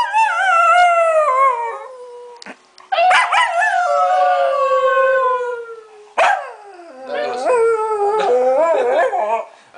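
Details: Small dog 'talking' with its owner, giving long drawn-out howling yowls in three bursts, each wail sliding and falling in pitch with rich overtones, separated by brief pauses, with no other clear sounds.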